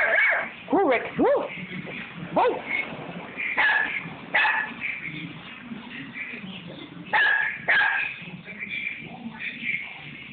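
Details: Rex, a dog, barks at a paint roller, mistaking it for another animal: sharp irregular barks mixed with high arching yips and whimpers. Bursts come every second or two, with a person talking in the background.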